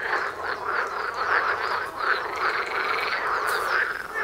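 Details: Dense croaking of a frog chorus heard outdoors by a front door, many overlapping rasping calls repeated in quick succession with a few higher trilled notes rising above the steady wall of sound.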